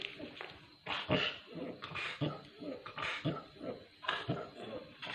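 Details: Parvo-stricken Pit Bull named Dora gives strained, harsh whimpering cries nearly every second inside a small room, the bursts short and noisy with low throaty undertones, human voices faintly present.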